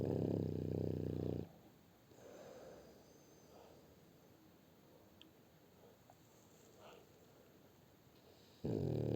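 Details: Snoring French Bulldog called Shturm: a loud, rattling low snore opens the recording, followed by about seven seconds of near silence with soft breathing, then the next gravelly snore begins.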